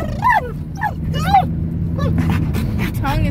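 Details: Dog yodeling in a car: several short arched yelping cries, rising then dropping, spaced about a second apart, over low engine drone and some voices.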